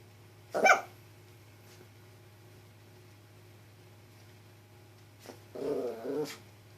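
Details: Pet Chihuahua, a female, trying to act brave toward a cicada (chicharra) she normally dreads. One short, sharp yap early on, then after a quiet stretch a rough, low, grumbling growl lasting under a second.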